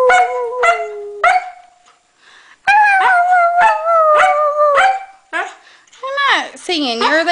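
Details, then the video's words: Maddie, a Norwegian Elkhound, howls together with a Husky: sharp repeated yelps, then a long sustained howl broken by quick yips, ending in swooping, bending cries. "Norwegian Elkhound Maddie sings with Husky"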